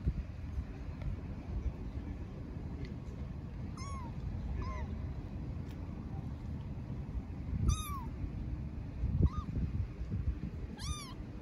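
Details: Istanbul street kitten calling out for its mother cat: six sharp, high-pitched, downward-curving meows at irregular intervals, some brighter and stronger, against a persistent low hum of city noise.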